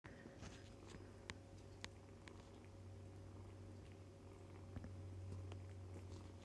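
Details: Foster kittens, about three weeks old, nursing and playing indoors with their mother cat, fostered through the Humane Society of North Texas; a low, steady purring rumble runs throughout, broken by soft clicks and rustles.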